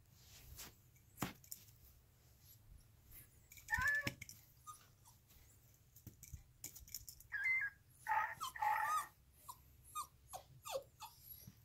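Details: Two Alaskan Klee Kai dogs, Kona and Kaipo, give short, wavering howls and whining yelps in quick bursts indoors during a howling session.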